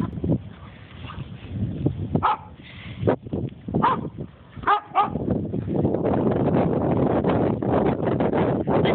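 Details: Barking dogs around unbothered horses: scattered loud barks and yips separated by gaps, followed by a steady rush of wind-like noise through the final seconds.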